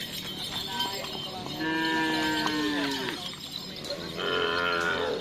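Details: Cattle at a karapan sapi bull race training session at Lapangan Asemanis, Pamekasan, ahead of a team anniversary: a long, low, harmonic moo falling slightly in pitch over about two seconds, then a second higher bellow, with people talking in the background.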